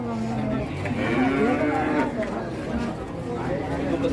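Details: Pegon cattle at an Indonesian livestock market, with low drawn-out lowing rising and falling over several seconds, partly mixed with nearby talk about prices and general market din.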